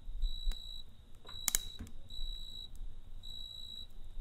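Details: Cricket chirping at night beside a campfire: a thin, high, steady ringing trill in bursts of roughly a second separated by short pauses, over a low rumble, with a sharp crackle of burning wood midway.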